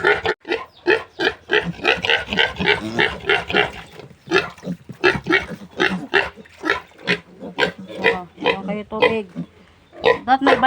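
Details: Piglets from a new sow's first litter, being weaned and given feed and vitamin water, squealing in a dense run of short harmonic cries, a brief lull near four seconds, then more rapid squeals.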